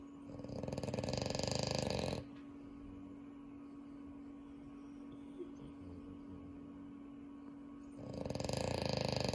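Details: French Bulldog snoring at home after Unio's arrival. A loud, rattling, fluttering snore lasts about two seconds, then a quiet stretch with a steady low hum, before the rattling snore returns near the end.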